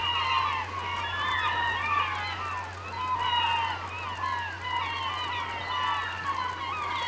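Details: Beluga whales chirp and whistle in an overlapping chorus over a steady low hum in the Naknek River on April 24, 2015, at 8:30 am.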